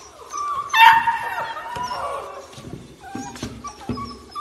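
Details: Young beagle letting out one strained, wavering howl-whine lasting about a second, sliding downward as it fades, followed by softer short whimpers and light household noise.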